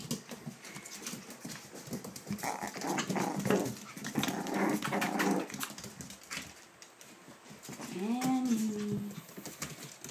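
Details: Ava's litter of puppies, seven weeks old, at play indoors: low rough growling rumbles through the middle, then a clear rising-and-falling whine near the end, over constant scratching and a woman's voice.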